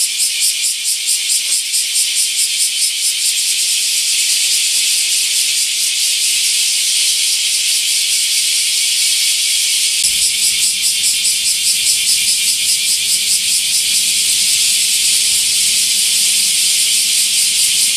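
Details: Bear cicadas in full summer chorus around Nagasaki's largest camphor tree, Daitokuji Park, Japan: a piercing, rhythmically pulsing buzz, with a low steady hum joining partway through.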